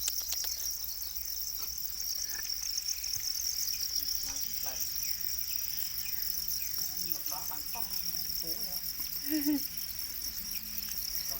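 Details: Domesticated para crickets, also called black crickets, keep up a steady high, shrill trill throughout, with people talking in Khmer and faint knocks and rustling underneath.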